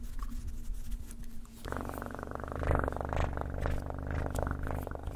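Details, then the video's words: Close, loud purring from a cat: a faint hum at first, then a strong deep rumbling purr from under two seconds onward, pulsing rapidly and steadily to the end. "Best PURRING sounds"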